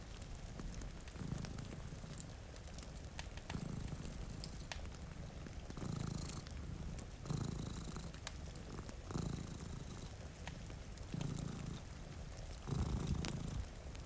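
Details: Purring from two sleeping cats by a rain-streaked window, low throbbing pulses rising and easing roughly every two seconds, while crackling fireplace pops and falling rain fill the background.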